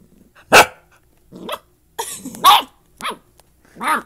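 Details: A dachshund puppy barks for the first time, giving a few high, yappy barks at uneven intervals while playing with a big mutt dog, partly from under a bed.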